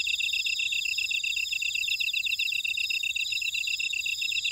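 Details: Grass insects in a buckwheat field on Jeju Island, Korea, chirp in fast, even pulses, about four a second, layered over a constant high shimmering drone from many other callers.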